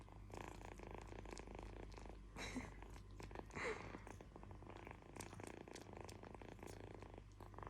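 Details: Continuous deep purring from a kitten, an even vibrating drone with a slight pulsing texture, plus a couple of brief scuffs and faint rustles partway through.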